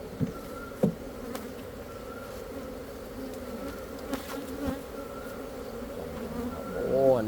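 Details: Honey bees in Cambodia give a steady, low droning hum with occasional sharp knocks in the background.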